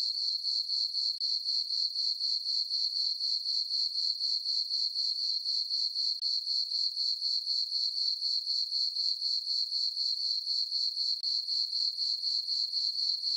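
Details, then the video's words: Crickets in a meadow on a calm summer night with a full moon, giving a continuous, evenly pulsed, high-pitched chirp about four times each second; only the insects are heard. "Cricket chirping sounds for sleeping"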